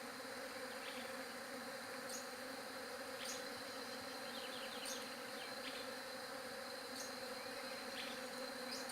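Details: Bees drone in a dense, unbroken low hum, recorded on a J7 Galaxy Prime2, with occasional short high chirps and clicks scattered across the steady buzz.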